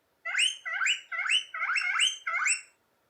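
A guinea pig gives a rapid series of loud, high, whistling squeals, about six in under three seconds.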